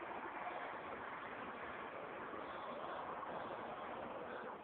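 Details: An even, muffled hiss of background noise runs without a break, and no animal sounds are heard.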